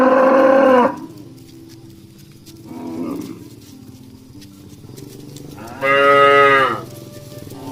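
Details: Dozens of tame, healthy cattle walking home to their pen in the evening, driven by a herdsman through a village rice field. A loud, harmonic moo opens the clip, a softer low call follows midway, then another strong drawn-out moo near the end.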